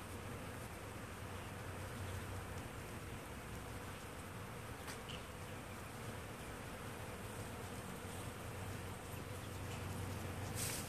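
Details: A swarm of hundreds of honeybees working a crabapple tree gives a dense, continuous low hum with slight wavering in pitch and no pauses, a few faint ticks above it.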